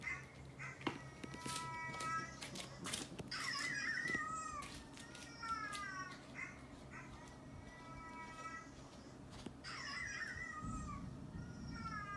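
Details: Pet cats, including a neutered male orange tabby and a neutered male brown tabby, react indoors to a dog's barking. Several tonal, wavering meows are heard, some rising and falling, mixed with sharp knocks and clicks in a small room.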